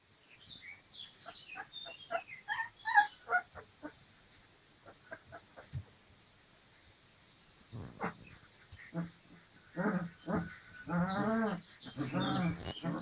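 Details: Dogo Argentino puppies, 25 days old, playing together; a run of short squeaks and yelps at first, later louder whiny grumbles and play growls in bursts.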